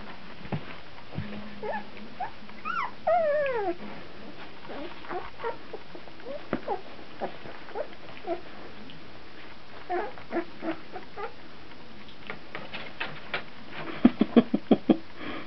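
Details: Fourteen-day-old puppies, already starting to wrestle, give a cluster of high, wavering whimpers that slide downward near the start. Scattered soft squeaks, little yips and light clicks of movement follow, with a few louder squeals near the end.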